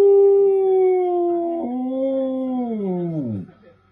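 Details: Samoyed named Bro holds a long, steady tonal howl that sags gently in pitch before dropping away at the end, clean and loud with little background.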